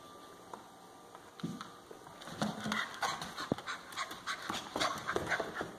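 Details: Central Asian Shepherd puppies, two females aged 5.5 weeks from one litter; soft whimpers and panting, bursts of short clicks and rustling scattered through the clip, with brief whines rising above the background.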